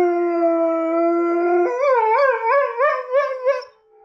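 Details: Addie the Catahoula Leopard Dog responds to her own howls from a laptop: a level, steady howl for over a second, then a rapidly wavering, yodel-like series of about seven pitch bumps before fading.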